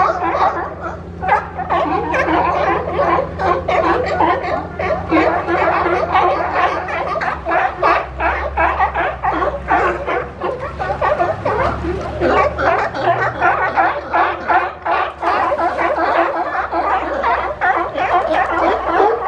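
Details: Crowd of sea lions at Monterey Bay, California, piling on top of each other while looking for a spot to rest, noisy and pushy; dense overlapping harsh barks and grunts pour out without pause, with a steady low rumble underneath.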